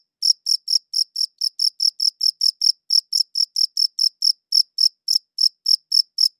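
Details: Cricket chirping in a clean recording, high-pitched pulses starting after a brief pause, mostly regular at about four per second with a couple of short gaps, no other sounds.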